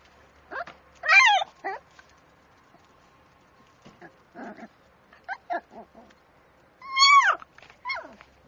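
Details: Shiba Inu puppy, a black-and-tan male, giving short high whines and yelps that bend up then down in pitch, strongest bursts early and near the end, with softer whimpers scattered between; the background is otherwise quiet.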